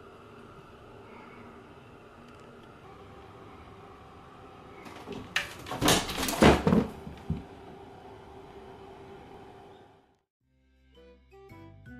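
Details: Steady indoor fan hum, then a burst of loud rattling and knocking in the middle, followed by near silence and a few soft clicks.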